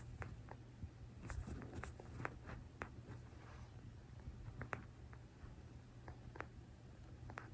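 A sugar glider purring: soft, irregular tiny clicks like teeth lightly tapping, a sign of contentment.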